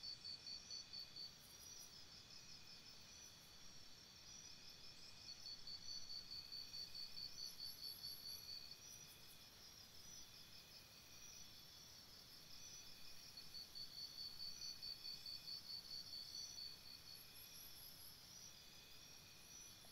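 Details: Crickets chirping at night by a campsite: steady high-pitched pulsing chirps, about two per second, in bursts several seconds long over a continuous insect hum and faint low background noise.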